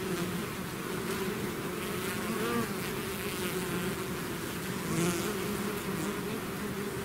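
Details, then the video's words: Bees pouring out of a hive as a swarm, a steady crowded hum with single insects whining past, pitch briefly bending near two and a half and five seconds. "bees therapy swarm natural buzzing sound"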